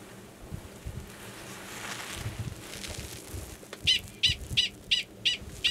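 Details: Gunnison's prairie dog male 45 calling to an estrous female already belowground, Valles Caldera National Preserve, New Mexico, in March 2017. Soft rustling at first, then a run of six shrill, evenly spaced chirps near the end.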